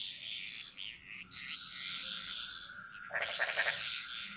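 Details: Frog chorus echoing through the Bali jungle: high trilling, overlapping calls with short bright whistled notes, then a loud, lower, rapidly pulsed rattling croak near the end, over a thin steady background hum.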